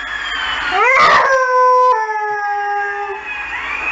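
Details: Saluki howling in response to emergency services sirens: a rising then long, steady wavering howl with rich overtones, tailing off after about three seconds, with a siren sweeping faintly underneath.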